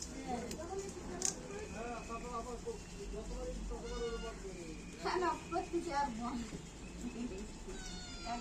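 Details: Pet cat in a household, meowing several times with short harmonic calls around 5 and 6 seconds, while people talk throughout and other voices fill the background.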